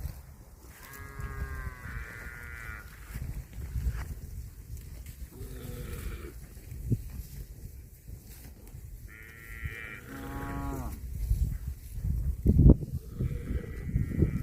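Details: Cattle eating grass, giving a series of short, bright, nasal moos with strong harmonics, near the start, around nine to ten seconds and again near the end, over steady low rustling and munching noise throughout.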